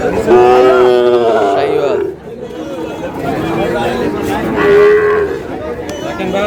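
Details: Sahiwal cattle at a cattle market where a farmer from Cumilla buys a bull calf; a loud drawn-out moo, then a second shorter moo, over bargaining voices and crowd chatter.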